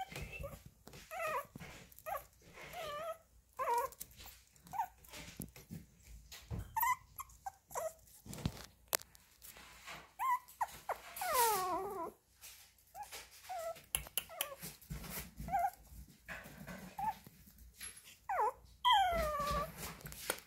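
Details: Baby Chihuahua puppy whimpering in a long series of short, high, wavering whines, some sliding down in pitch, broken by brief pauses and faint rustling.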